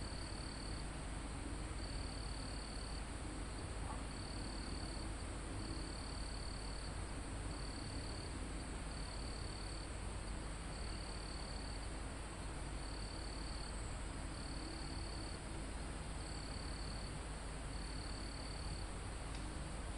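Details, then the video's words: Near a mountaintop, forest crickets call in a live recording. Short high-pitched buzzy bursts repeat steadily about every one and a half seconds, around a dozen in all, over continuous insect hiss and calm wind on leaves. "Calm Forest in Mountain With Crickets, Insects Sound"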